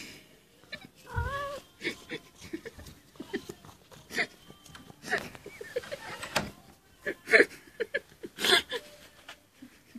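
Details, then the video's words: White kitten crying at a door: one clear, wavering mewl early on, then many short clicks, knocks and rustles with brief faint cries mixed in. "white kitten crying at the door"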